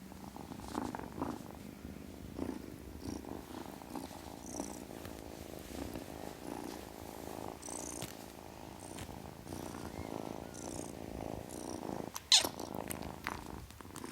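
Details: Kitten purring softly, a quiet even rumble through most of the stretch, with one sharp click near the end.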